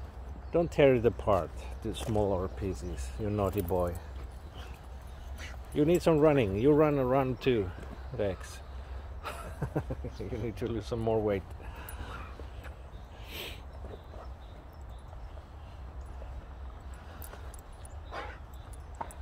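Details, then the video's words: Boxer dog Rex, eager and in a hurry to play outdoors, talks and whines in wavering, rising-and-falling yodel-like bursts during the first eleven seconds, then goes quieter, with a person speaking nearby. "Funny Talking And Whining Boxer Dog Rex!"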